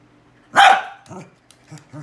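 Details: Pet dog barking at a cow hoof in a small room: one loud, sharp bark followed by quieter low grumbling sounds.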